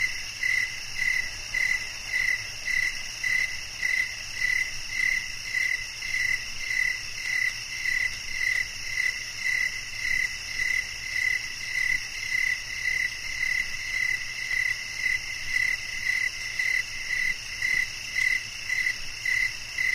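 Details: Crickets chirping steadily as a relaxing nature sound for sleep: high, ringing pulses repeated nearly twice a second in an even rhythm over a constant shrill background hum, no other sounds.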